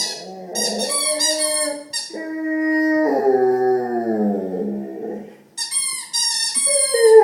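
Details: A Rottweiler lying at its owner's feet gives drawn-out, wavering howls and whines that slide up and down in pitch.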